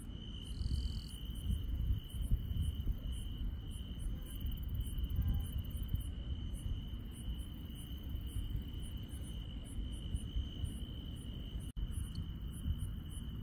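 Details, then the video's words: Insects calling at night in rural country: one even, high-pitched drone-like trill, with rapid very high ticking pulses repeating across the top, over a persistent low rumble. "시골 밤의 정겨운 풀벌레 소리"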